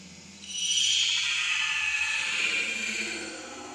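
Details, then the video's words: Hungry baby monkey Leo cries to its mother for milk, giving one sustained, piercing high wail that holds a steady pitch for almost three seconds before fading out. "Very Pitiful Leo Crying Angry Mom Because Need Much Milk"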